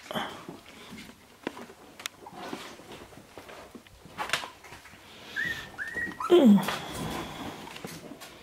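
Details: Shiba Inu puppies at sixteen days old, born 25 February 2017 and recorded 13 March 2017, finding a spot for a nap indoors: two short, high, level whines come in quick succession, then a brief downward squeak amid rustling and handling noises.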